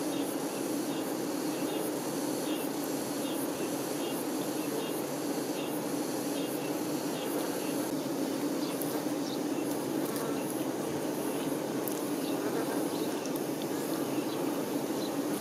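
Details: Honey bee workers attending their queen: a dense, unbroken hum centred low with bright overtones, steady throughout, with faint soft ticking higher up.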